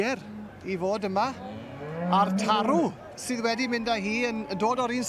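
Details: Aberdeen Angus cattle at a championship show, lowing in deep, buzzy moos: short calls, then a long drawn moo that rises and swoops before breaking off, followed by more steady moos; faint background noise.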